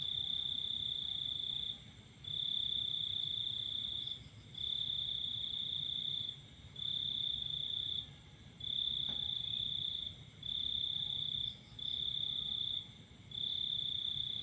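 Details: Crickets trilling at night as the full moon shines. Bright, even, ringing bursts of varying length are separated by quick pauses, and one faint click is heard, over a quiet low hum.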